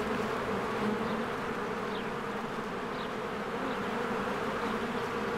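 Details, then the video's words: Busy beehive in spring with bees flying in and out, a constant low droning buzz overlaid by several faint, quick, rising bird chirps. "1 Hour of a Beehive ASMR"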